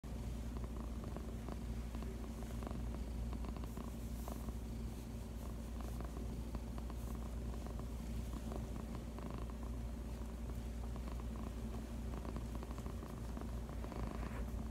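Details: Female pet cat purring on her owner's lap indoors: a steady, deep, continuous rumble with no breaks, a few faint rustles on top.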